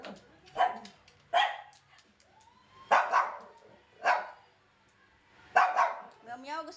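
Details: Yorkshire Terrier barking in short sharp bursts, about five over seven seconds, irregularly spaced, while a person talks nearby.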